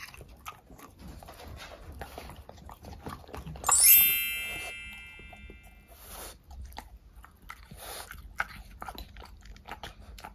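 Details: A French Bulldog eats fruit snacks such as strawberry and apple, chewing and crunching with wet, irregular bites, and a bright metallic ring sounds once.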